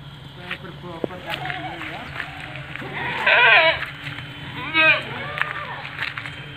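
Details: Seven-month-old Etawa doe, 70 cm at the shoulder, gives two short wavering bleats a second or so apart, amid people talking and faint rustling.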